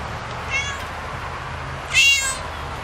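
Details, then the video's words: Cute cat making two thin, high mews over steady low background hum, the second louder and longer. "Action of cute and adorable cat movement sounds"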